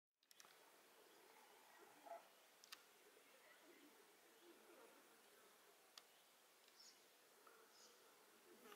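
A June beetle gives a steady, low droning hum from its wingbeats as it lifts off and departs. The buzz is soft against a quiet outdoor background with a few faint clicks.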